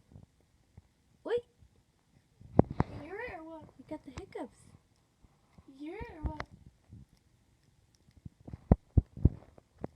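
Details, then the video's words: Puppy with the hiccups indoors: short, sharp hiccup jolts repeat in a quick series near the end, while people talk and laugh over the first half. "Puppy Hiccups"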